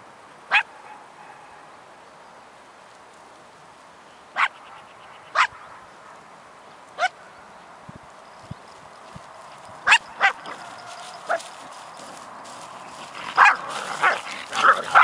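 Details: Icelandic Sheepdog Alisa barks as a field watchdog, protecting farm fields from birds after the wheat harvest; single sharp barks spaced unevenly, one to several seconds apart, growing busier and clustered near the end.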